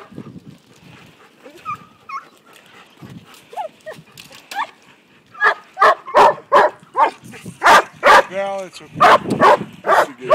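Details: Five-month-old Briard puppy Aragorn meeting sheep for the first time while herding; quiet scattered sounds give way to a fast run of loud, evenly spaced barks with a whining yelp in the middle.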